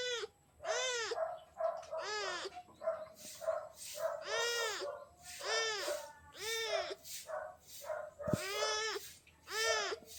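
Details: Little gray kitten asking for love meows insistently, about a dozen arched, rising-then-falling, nasal mews repeated roughly every second, with a few softer chirps between them.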